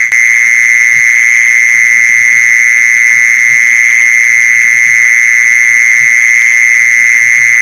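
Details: Mole cricket sound used to attract mole crickets: an even, unbroken high buzz sustained throughout, with a brief click at the start and soft low taps in the background.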